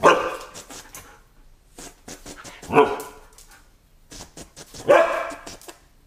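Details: Gohan, a Siberian Husky indoors, reacting with curiosity to balloons: three loud, drawn-out harmonic vocal bursts about two seconds apart, separated by quieter rustling and clicking sounds.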